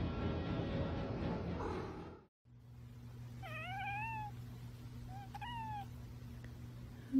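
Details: Domestic cat giving two drawn-out meows after a noisy opening of about two seconds. The first call is longer, rising then falling, and the second is short, with a steady low hum in the background.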